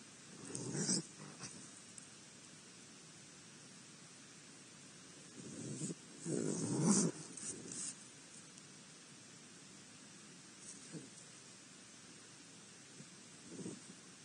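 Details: Raccoons give harsh, rasping barks and growls in short, irregular bursts while fighting at a feeder in Akron, Ohio.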